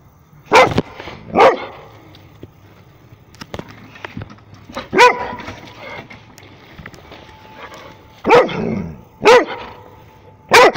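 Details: A single Rhodesian Ridgeback barks in loud, deep, separate woofs, six barks spaced about one to three seconds apart, with a quiet background and a few faint clicks between barks.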